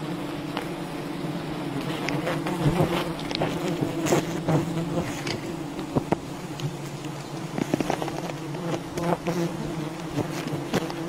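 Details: Constant droning of a wild bee colony during a honey harvest, steady and low across the whole stretch, broken by frequent short clicks and snaps, some in quick clusters.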